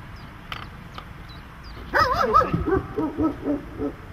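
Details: Dog during protection training, silent at first, then a rapid, wavering run of harsh barks for about two seconds with a faint high chirp early on.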